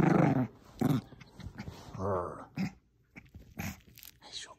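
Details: Female Bichon Frise growling during tug of war with a small stuffed squirrel toy in a room: a strong rumbling growl at the start, then a woman speaking over softer scuffling.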